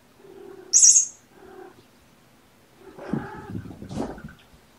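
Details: Kittens born November 22, surrendered with their mother Olympia, on a sleepy afternoon, 13 February 2018, being petted; one short harmonic meow with a sharp high squeak, a softer second mew, then rustling and handling noise.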